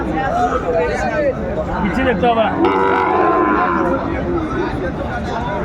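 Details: Sahiwal cattle, bulls and calves, at a busy cattle market where Dhaka farmers buy stock, 29 December 2024; low drawn-out lowing half buried under dense, overlapping bargaining voices of the crowd.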